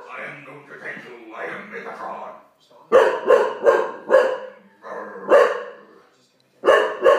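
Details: Olde English Bulldogge frightened by a Megatron toy, barking in bursts: four rapid barks, then a single bark and a final pair. Indoor human talking fills the gaps between bursts.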